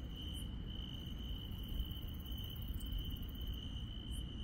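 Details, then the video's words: A rural night with insects trilling steadily at a high pitch, broken by a few short, very high chirps, all over a continuous low background rumble. "시골 밤의 정겨운 풀벌레 소리"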